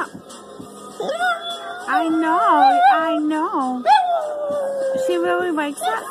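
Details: A female Chihuahua–Jack Russell Terrier mix dog howls along to her favourite song, "Turn Down For What", in wavering, rising and falling wails while people talk nearby.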